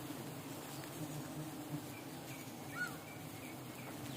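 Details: Giant honey bees (Apis dorsata) relocated in their hundreds of thousands and freed one morning at Namakkal's PGP agricultural college: a low, even buzzing drone fills the air, with a few thin bird chirps near the end.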